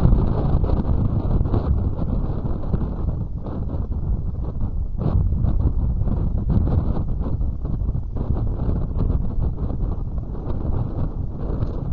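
Steady wind rumbling and buffeting against the microphone, with no animal calls heard.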